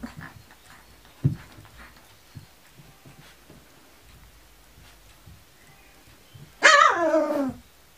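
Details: Kuvasz puppies, 19 days old: after several seconds of quiet rustling and one soft thump, a single loud, whiny yelp falls steadily in pitch over about a second near the end.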